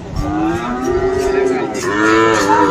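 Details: At Aftabganj market in Dinajpur, 21 February, a Friesian or crossbred bovine gives one continuous moo lasting nearly three seconds, steady then lifting in pitch at the end, with faint background bustle.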